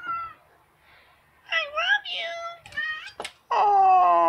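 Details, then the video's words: Indoor house cat meowing while begging to go outside; a person talks softly, then short harmonic meows follow, ending in a loud, steady, drawn-out meow. "Meows Begging to go out side meowing"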